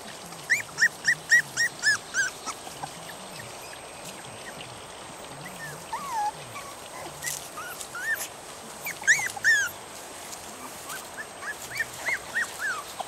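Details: Three-and-a-half-week-old puppies out in the yard, upset at leaving their familiar home and wanting Mommy to feed them after waking; bursts of sharp, high rising-falling whimpers, a quieter gap in the middle, then more bursts.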